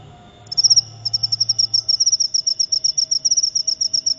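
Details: Cricket known as jangkrik upo starting up after half a second of near silence, then chirping in evenly spaced, shrill high pulses over a faint low hum.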